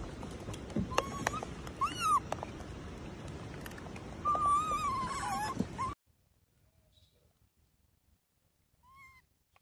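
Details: Abandoned infant macaque crying on the ground after its mother left it: drawn-out, quavering whistled wails repeat for about six seconds over rustling, then near silence with one last faint cry.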